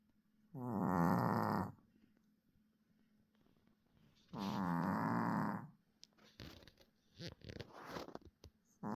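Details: Snoring dog giving two drawn-out raspy breaths roughly four seconds apart, followed by several short soft rustles and clicks near the end.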